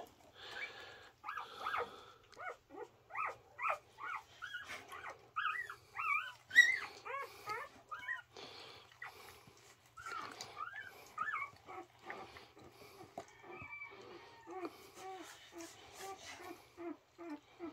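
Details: Newborn Border Collie puppies from Coco's litter of six, three days after birth, with their mother indoors; rapid high squeaky whimpers and squeals, each rising then falling, repeated in quick bursts throughout, with a few soft low grunts.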